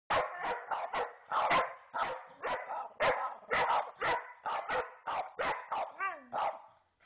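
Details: Two pet dogs barking at each other, sharp rapid barks in quick bursts, about fifteen in seven seconds, with one rising-falling whine near the end.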